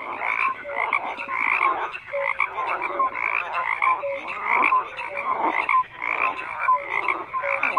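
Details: Frogs in a dense croaking chorus, many overlapping voices producing raspy pulsed croaks with brief whistle-like notes, continuous throughout with no other sounds.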